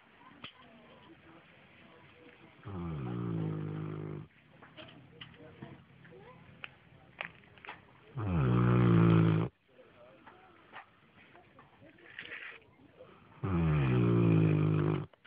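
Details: Snoring Newfoundland: three deep, rasping snore bursts of about one and a half seconds each, roughly five seconds apart, with soft breathing and small clicks between them.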